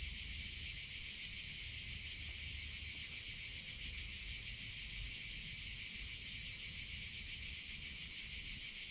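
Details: Unbroken high buzzing of cicadas in summer, an even, loud drone like a hiss sustained across the whole stretch, faint low noise underneath.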